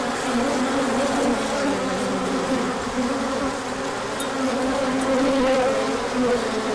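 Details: Bees pouring out for a big orientation flight once the sun appeared after colder weather; a constant, rich buzz with shifting tonal streaks as individual bees pass closer, a faint tick near four seconds.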